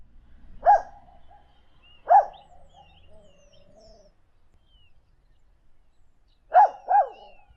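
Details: Dog giving short sharp single barks at about 0.7, 2.1 and 6.6 seconds, the last a quick double bark, with faint quiet squeaky noises in between.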